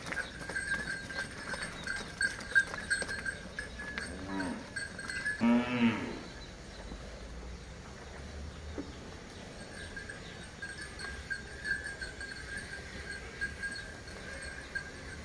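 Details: A farmer walks a Hallikar ox pair through Tumkur City. One deep, harmonic-rich moo swells and then ends abruptly after about two seconds near mid-clip. A steady high ringing tone, street noise and scattered clatter continue throughout.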